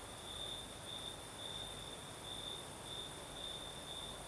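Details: Night chorus of crickets in southern Crimea under a gentle night breeze, a continuous high trill swelling into brighter pulses several times a second-spaced, backed by a thin constant shimmer and low breeze noise.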